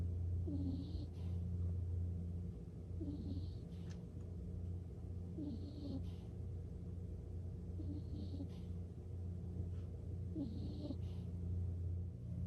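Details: Nikko, a pet skunk, falling asleep and snoring indoors: soft, rhythmic snoring breaths returning roughly every two to three seconds, each with a faint hissy edge, over a steady low droning hum.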